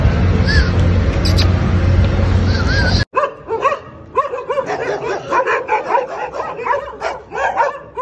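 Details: Dogs, said to be ten, attacking a Pitbull. The first three seconds are a loud broadband roar with tonal sounds. After that come rapid, irregular overlapping barks with bright harmonic yelps.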